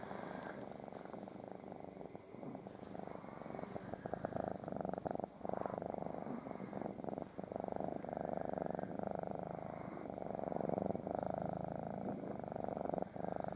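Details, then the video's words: Domestic cats purr in the morning as they try to lie on top of a waking person, pug dogs nearby; a continuous dense low purr, rising and falling slightly, with occasional rustles. "Snoring purring annoying pug dogs and cats"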